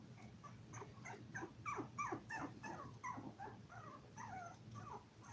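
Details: Five-week-old Toy Poodle puppies, seven in the litter, streamed live: a dense run of thin, bending whimpers and yelps, several per second, loudest in the middle, with a constant low hum beneath.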